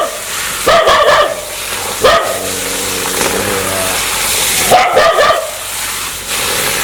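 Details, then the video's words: Aggressive dog wanting to bite people: sharp harsh barks in bursts near the start, middle and end, with a low steady growling tone between them. "Sound Dog want to Bit"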